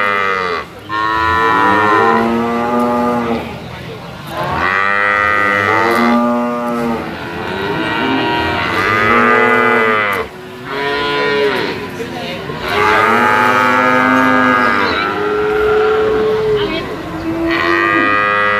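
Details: Penned sacrificial cattle weighing 500 kg or more moo again and again: about seven arched, harmonic lows, each two to three seconds long, following one another at short intervals with brief dips between.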